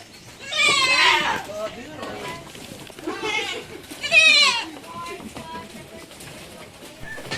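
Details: Goats on an F1 Anglo-Nubian breeding farm in Negros Occidental, Philippines, bleating in quavering, nasal bursts, three main calls spaced a second or two apart, with softer bleats and farm background noise trailing afterward.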